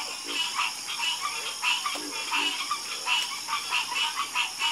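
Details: A chorus of frogs croaking, many overlapping pulsed calls rising and falling in loudness about once or twice a second, with a few deeper croaks underneath and a steady high hiss behind them.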